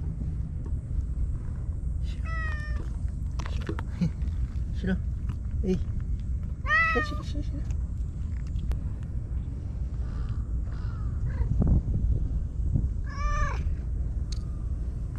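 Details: Solitary white stray cat on Japanese tetrapod breakwaters welcoming a visitor: several short, bending meows spaced a few seconds apart, mixed with human speech and a constant low rumble.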